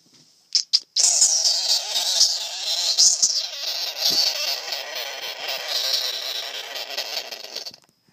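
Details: A male sugar glider joey, woken after sleeping all day, crabs: a harsh, hissing buzz like an angry locust, held for several seconds, a sound of annoyance.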